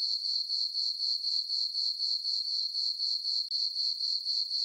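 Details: Summer-night crickets in a moonlit farm meadow keep up a shrill, evenly pulsed chirping, roughly four beats per second without pause; no other sounds.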